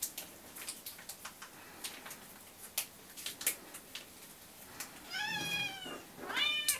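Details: Hungry house cats demanding breakfast: several seconds of clicking and tapping noises, then two short rising-falling meows close together near the end.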